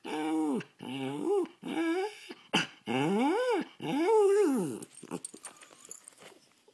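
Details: Tasha the poodle sings out six long, wavering yowls that swell upward and sag back down, the last one drawn out, followed by soft scuffling and faint clicks.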